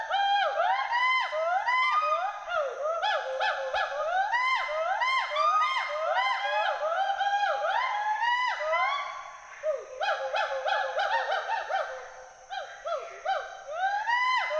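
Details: Western hoolock gibbons, two of them climbing and swinging in trees at Hollongapar Gibbon Sanctuary, Assam, keep up a long, energetic bout of overlapping whoops and hoots, arched notes tumbling in fast succession with brief lulls.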